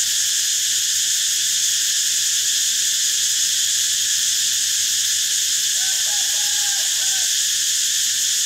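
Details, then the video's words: High, sizzling cicada drone running constantly, with a brief faint run of soft tonal notes from another animal about two-thirds of the way through. "เสียงจักจั่น Cicada sound"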